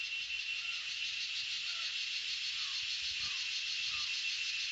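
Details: Cicadas in chorus: a steady, dense high-pitched buzzing drone that stays even and unbroken throughout, with faint short chirping notes from other creatures underneath.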